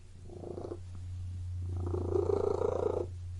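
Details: Short stretch of a cat purring in a room: a brief rumble, a pause, then a longer louder pulsing purr with audible rapid flutter, over a low steady hum.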